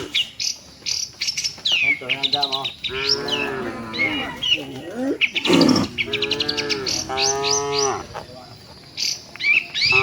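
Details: Herd of tame cattle moving toward the shed; several overlapping lowing moos, wavering and stacked, with a brief loud knock midway and steady chirping birds in the background.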